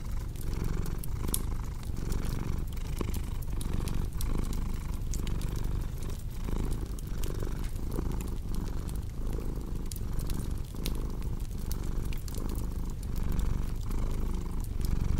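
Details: Domestic cat purring steadily, a low rumbling drone that swells and eases in regular breath cycles under the sharp snaps and pops of a cozy crackling fireplace.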